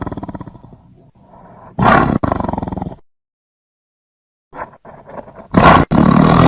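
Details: Tiger roaring: deep, harmonic-rich growling bursts, with a short loud roar near two seconds, a silent gap, then softer grumbles and a final harsh roar near the end.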